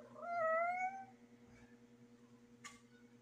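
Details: Female cat in heat producing a single rising, drawn-out meow lasting about a second, followed by quiet room noise and a brief click.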